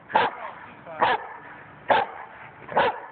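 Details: German Shepherd behind a low four-foot fence, brought out when a neighbour walks past on the public sidewalk; four sharp, loud barks evenly spaced about a second apart, with quiet background between them.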